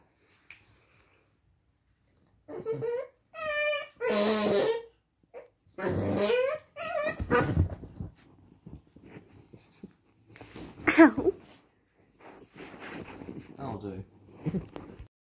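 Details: A vocal Staffordshire Bull Terrier makes squeaky, wheezing, rumbling noises in bursts, like a whoopee cushion, while playing.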